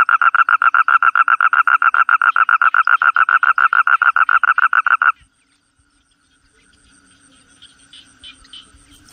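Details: Toad trilling in fast, regular pulses, around seven a second, for about five seconds. The trill then stops sharply, leaving near silence with faint distant chirps and rustles.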